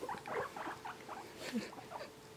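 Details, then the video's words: Pair of male pet guinea pigs being petted, giving quiet, rapid chirping and bubbling notes in an irregular stream, with a faint steady hum in the room. "Guinea Pig Noises"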